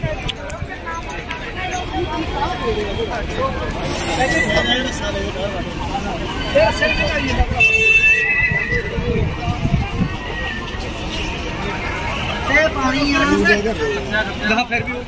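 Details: A frightened mare goes out of control at the Balotra horse fair (Tilwara Mallinath fair), panicking around a vehicle. Neighs cut through loud human speech, crowd babble, and hoof clatter.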